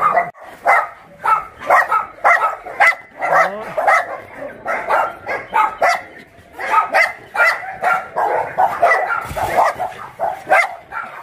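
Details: Several rescued dogs at Yangsan's Mindeulle Shelter for abandoned dogs bark in a steady chorus of short, sharp barks, closely spaced and overlapping, with a brief rising whine partway through.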